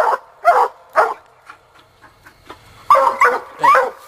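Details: Sadie, a young Black and Tan coon dog out coon hunting, barks three times, falls quiet with faint sounds in between, then bawls in a quick run of three more barks.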